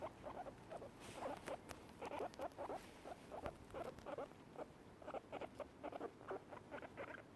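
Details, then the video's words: Happy sound of two guinea pigs while eating grass, distinct from their bubbly exploring sound: crisp, clicky squeaks in quick irregular bursts, some louder and sharper, with chewing and rustling between. "Guinea pigs making happy noises while eating"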